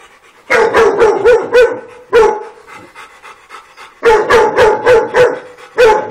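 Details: Dogs at play on a farm give rapid runs of five or six barks, then single barks, roughly a dozen in six seconds, with a faint steady tone underneath.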